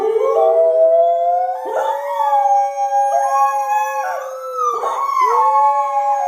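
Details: Thai Bangkaew and Rottweiler dogs howling along with their owner's voice: several overlapping drawn-out tonal howls, each sliding up then holding level, new voices joining about every one and a half seconds.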